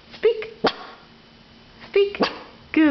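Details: Two-year-old Yorkshire Terrier barking on the command "speak" as a trained trick, indoors: two short, sharp yaps between a man's spoken commands and praise of "good boy".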